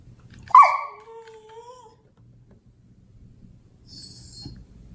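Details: A single short whining cry from Honey the Beagle, starting high and sliding down into a thin drawn-out tone lasting over a second, then near silence with soft breathing and a faint high squeak.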